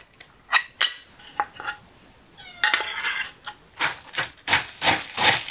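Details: Stray cats waiting for food meow amid clattering pot and dish noises; a short rising-falling meow stands out among sharp metallic clinks and scrapes.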